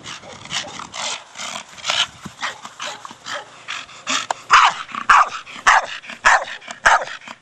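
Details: Playing with a big hard plastic ball, four-year-old Staffie Brogan gives a steady series of rough barks, about one every half second, growing louder in the second half, with faint clicks between them.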